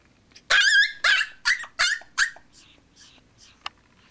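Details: Lizzie, a young Chihuahua puppy tied by her leash to a chair on her second day with her family, lets out five piercing, wavering yelps in quick succession, then trails off into faint whimpers.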